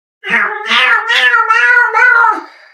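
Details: Female pet cat talking back to her owner indoors, as if arguing. She gives one long, drawn-out meow of about two seconds that wavers up and down through several connected phrases, then fades.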